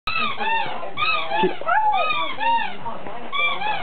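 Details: Indoors, a Siberian Husky howls at a squeaky toy in a run of bending, voice-like yowls that swoop up and down, with short breaks and squeaks underneath.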